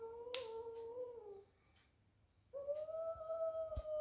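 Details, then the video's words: Domestic cats in a fight indoors: a steady nasal yowl that slides downward and stops, a sharp snap-like click, silence, then a louder sustained yowl with faint thuds. "Cat Fighting"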